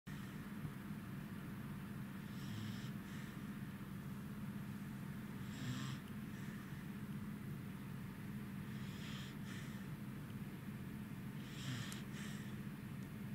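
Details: Corgi named Goro, tired and sleeping beside another dog named Roku, recorded 3 August 2018; soft breathy snores every three to four seconds over a steady low indoor hum.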